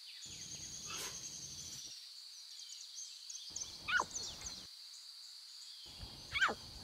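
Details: Wild lion cubs beside their mothers in their natural environment give two short, falling mews about two and a half seconds apart; a constant shrill insect hum and soft rustling fill the gaps.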